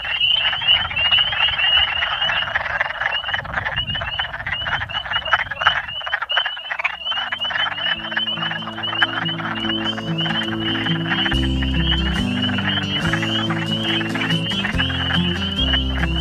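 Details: Early spring chorus near the Menominee River on the Upper Peninsula–Wisconsin border: spring peepers' high piping whistles over the low, duck-like clucking of wood frogs, just after ice-off.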